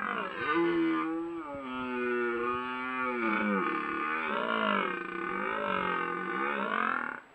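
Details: Long, sustained red deer roar from a stag in rut, captured by a Browning trail camera in the Apennines near Bologna, Italy; richly harmonic bellow lasting about seven seconds, wavering up and down in pitch, with no other sounds.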